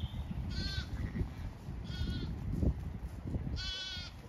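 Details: Ewes and lambs of the Zwartbles breed grazing a diverse, wet pasture in County Kilkenny, Ireland; three clear, vibrato-laden bleats, evenly spaced about 1.5 seconds apart, over a low rustling, wind-filled background.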